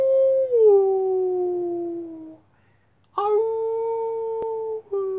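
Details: Gray wolf. A wolf howls twice with pauses between. The first howl is long and smooth and sinks slowly in pitch; after a short silence a second, steadier howl rises in and holds before breaking off.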